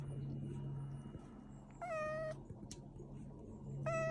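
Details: Young stray cat out on a walk on a warm spring day gives two clear, level-pitched meows of about half a second each, the second near the end, over a low steady hum and a brief sharp click.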